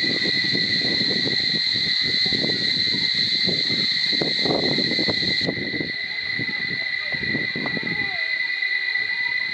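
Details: Chorus of cicadas at Barichara, a loud unbroken high-pitched drone on two steady tones, with low murmuring voices or rustling underneath and the drone dropping a little in strength partway through.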